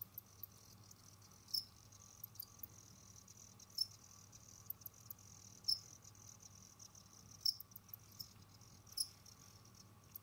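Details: Jamaican field crickets kept as pets, wandering and hunting other insects; thin high chirps recur roughly every two seconds, separated by faint ticking and scratching over a constant low background hum.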